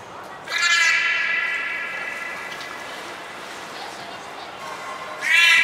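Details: Captive beluga named Nana during a training session at Port of Nagoya Public Aquarium, 13 April 2019: a long, steady, harmonic-rich tonal call held for about five seconds, with a second bright burst starting near the end.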